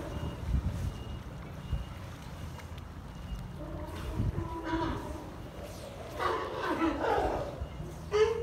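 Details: California sea lions in Monterey harbour, California, on 8 March 2023, give hoarse, honking barks over a low rumble of harbour noise.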